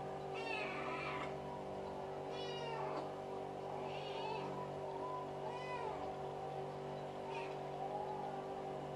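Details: Nobita, a playful American Shorthair house cat, meowing repeatedly after its owner pretends to be dead: five drawn-out, harmonic meows about every one and a half seconds, over a steady low hum of background noise.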